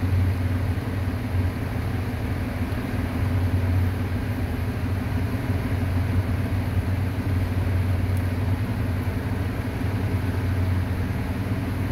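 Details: A vehicle engine idles with a steady low rumble and constant broadband noise throughout.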